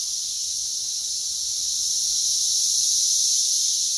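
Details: Massed Brood X periodical cicadas singing in West Virginia during the June 2021 emergence; an intense, even, high-pitched buzzing roar, gradually growing a little louder.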